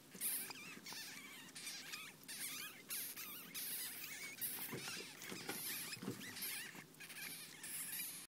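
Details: Newborn ferret kits a day old give a near-continuous chorus of shrill, bending squeaks and chirps, several overlapping, with soft rustling underneath.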